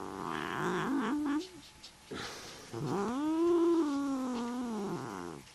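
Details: A neutered male Desert Lynx hybrid cat, wild and talkative, gives a brief meow, then a long drawn-out yowl that rises and falls while playing and "talking".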